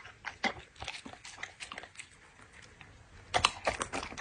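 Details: Dog eating, crunchy chewing and biting sounds in bursts, with louder crunches near the end, recorded indoors close up in an ASMR eating session.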